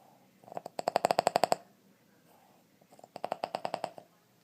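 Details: A 2½-year-old Boston Terrier from West Chicago, Illinois, snores in two rattling, second-long bursts of rapid, evenly spaced clicking pulses a couple of seconds apart, sounding like a woodpecker's drumming.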